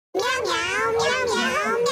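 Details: A 25-day-old kitten gives a long, wavering, high-pitched meow that swells and dips in a continuous cry.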